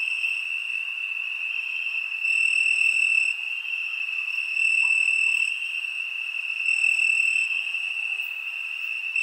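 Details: A summer-night cricket chorus gives an unbroken high trill. Extra callers join and drop out, so the loudness swells in steps roughly every two seconds.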